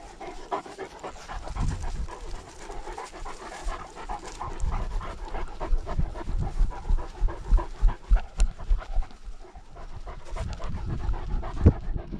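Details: Great Danes out on a lockdown walk, recorded with a GoPro dog camera: a steady run of quick, breathy pants, about three per second, rising and falling in bursts over soft footsteps and rustling.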